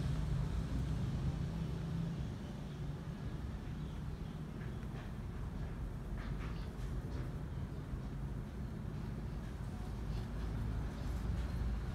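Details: A constant deep vehicle rumble fills the recording, with a few faint ticking sounds. No animal call stands out.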